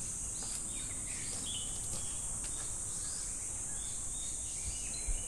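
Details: Japanese summer at Namegawa Shrine, Sukagawa, Fukushima: a continuous shrill buzz of cicadas fills the air without pause, overlaid by brief bird chirps and a steady low rumble.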